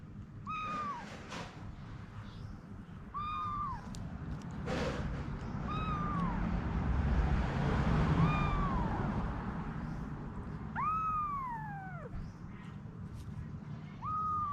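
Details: Cat mother Anna and her babies: about six evenly spaced, descending meows, one longer and louder near the end, with a broad rushing noise swelling in the middle.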